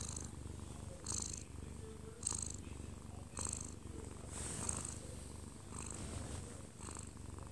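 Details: A 14-month-old odd-eyed Munchkin cat purrs steadily while falling asleep in its owner's arms, a deep continuous rumble with soft breathy rustles about once a second; a TV plays in the background.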